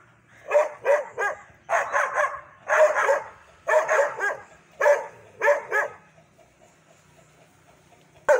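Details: Dogs bark aggressively in clustered pairs and triplets of loud, rough barks for six seconds, then fall quiet before one last bark at the end.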